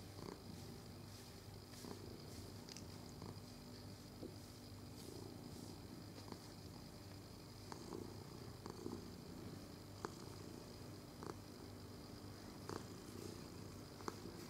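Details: Domestic cat purring as it is stroked, filmed 22 November 2018; low continuous vibrating purr throughout, with light clicks and brushing noises scattered across the recording.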